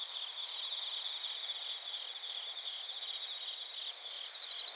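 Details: Crickets, including bell crickets, chirp together in Narita, Chiba, Japan, captured with a TASCAM Portacapture X8. A continuous shimmering high-pitched drone of overlapping trills, with faint beating pulses toward the end.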